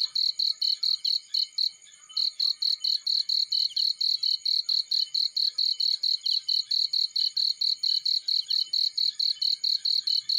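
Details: Cricket chirping in a field. Fast trains of sharp, high pulses, around four per second, run almost continuously with one brief pause near the start. The background stays quiet.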